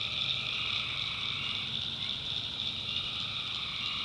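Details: Many tree frogs calling together at night in a North Carolina backwoods swamp, a constant high ringing trill layered over a lower, rapidly pulsed croaking band that briefly dips and resumes.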